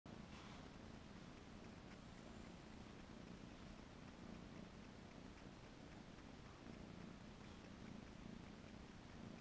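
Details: Domestic kitten purring while hugging a capybara's head; a steady low continuous rumble runs throughout with no breaks, under faint background hiss.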